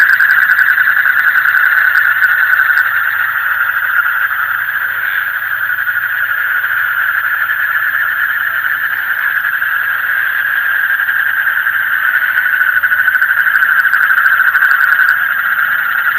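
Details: Night chorus of frogs: a steady, droning buzzy trill at constant pitch, dense and unvarying throughout, over a faint low background hum.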